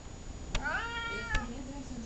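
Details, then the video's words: Talkative pet cat Columbus utters a single drawn-out, slightly wavering meow between two sharp tapping clicks, with a person calling its name nearby in a quiet room. "Talkative cat"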